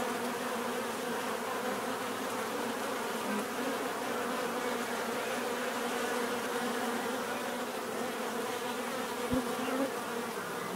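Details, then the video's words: Many bees humming together in a constant droning buzz, with occasional individual bees rising briefly above the mass and one faint click near the end. "bees therapy relaxing natural buzzing sound"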